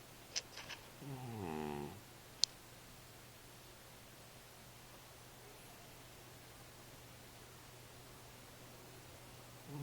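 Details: Cat snoring in its sleep: one drawn-out, raspy descending breath near the start, preceded by a few sharp clicks, then near silence with faint background hum.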